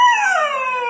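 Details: Young Siberian Husky, four months old, refusing to come downstairs and talking back: a short one-second howl, loud at the start, wavering then gently falling, amid a person urging it to come down.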